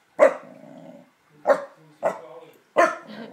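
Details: Unhappy corgi reacting to luggage: four loud barks, each trailing into a brief low growling rumble, spaced unevenly over a few seconds.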